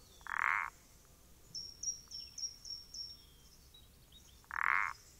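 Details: Two strong rasping croaks from a common parsley frog (Pelodytes punctatus), recorded 14 April 2020, about four seconds apart, with a quick string of faint high ticking chirps between them.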